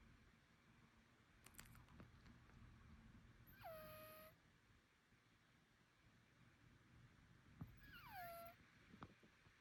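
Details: A Bengal cat gives two thin, wavering meows that slide downward over a noisy indoor background; the owner wonders if the strange sounds mean illness, nasal breathing, congestion or allergy.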